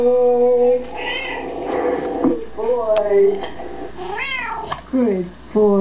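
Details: Domestic cat indoors yowling along to a recording of itself singing Happy Birthday, drawn-out wavering meows rising and falling in pitch, several in a row, over music playback and a person praising it.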